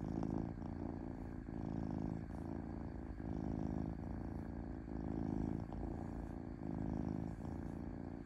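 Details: Domestic cat purring smoothly and gently, a steady low rumbling purr that swells and dips in breath-linked phases about every second, with no other sounds.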